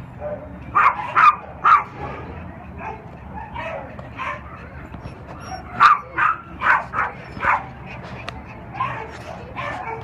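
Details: Unaltered three-year-old male dog, a Cairn Terrier and Lhasa Apso mix at OC Animal Care, barking in bursts of three to five quick yaps separated by quieter pauses, with faint background shelter noise.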